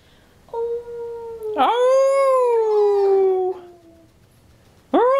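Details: Toy Fox Terrier puppy indoors, howling and singing along with its owners: long, steady, tonal howls that swell, glide slowly downward and overlap with other voices, then a sharp rising howl starts again at the end.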